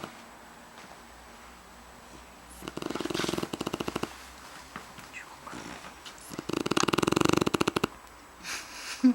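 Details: Shar Pei Aytash asleep, producing two stretches of rapid, clicking, rattling snore pulses with softer snuffling breaths between, indoors and otherwise quiet.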